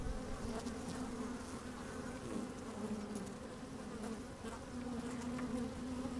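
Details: Inside an open beehive on a fine sunny day, microphone among the working honey bees; continuous buzzy drone with wavering pitch bands around 250, brief louder buzzes and light clicks from bees moving about.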